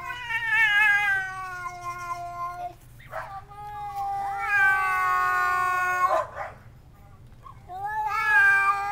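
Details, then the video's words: Domestic cat caterwauling through a screen door at a visiting cat, long drawn-out wavering yowls with rich harmonics, three rising and falling howls separated by short hissing bursts. "Sing the Visiting Cat Blues"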